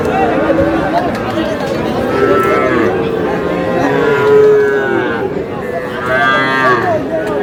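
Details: Bull and heifer calves at the Aftabganj calf market on 23 June: several moos in turn, a long low call giving way to a few shorter, higher bawls, over constant crowd noise and talk.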